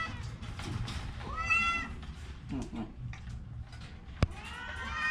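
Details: An ailing orange pet cat with a cold and cough lets out a bending meow, then a fainter, short sound, a sharp click, and a final rising meow against a low, steady hum.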